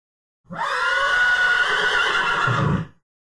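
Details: A horse whinnies in one sustained, quavering cry lasting about two and a half seconds. The cry is rich in harmonics and holds a steady pitch, then ends in a low, breathy rumble before abrupt silence.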